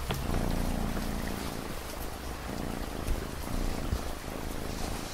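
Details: Domestic cat purring in a soft, pulsing low drone with faint banded tones, layered over the patter of steady rain and scattered raindrop ticks.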